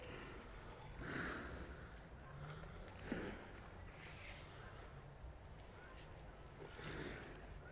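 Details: In England, a black water buffalo met on a walk puffs out several short, noisy exhalations, near one, three and seven seconds, while a calm voice says "good" in Russian nearby.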